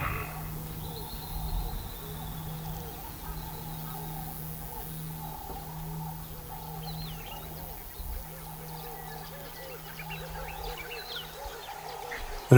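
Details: Lions of a vocal pride in Moremi, moving through the bush after sensing rival lions, now watching and listening intently toward a tree line; low, rumbling roars under a steady hum, with frogs croaking throughout the background.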